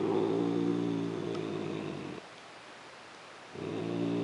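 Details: Female house cat growling instead of purring while being petted and loved on, not trying to run away; low, rough, pulsing harmonic rumble in a two-second bout, a pause, then a second bout starting.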